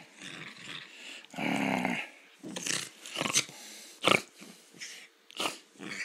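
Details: Pet poodle's rough, raspy growls and snorting breaths during a play-fight under a blanket in a small room, irregular bursts with a long sustained growl near the middle.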